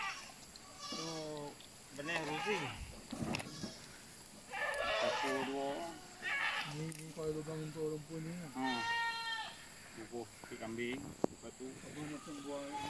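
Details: Goats on a rural holding being called back by people; several wavering, harmonic bleats of a few seconds each rise and fall amid overlapping human speech and calling, with outdoor background.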